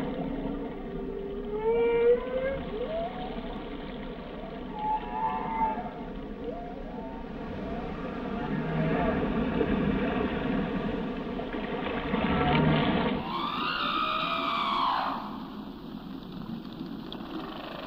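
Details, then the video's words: Whale song under water: a series of rising and falling tonal moans and whoops with rich harmonics, a loud sweeping upward cry near the end, over a steady low rumble of sea noise. "Song of the Whales"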